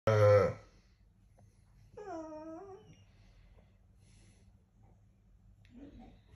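A Staffordshire Bull Terrier 'talks' in a sharp opening yelp, then a longer, wavering, harmonic yowl that bends up and back down. A low room hum sits underneath, with a faint murmur near the end.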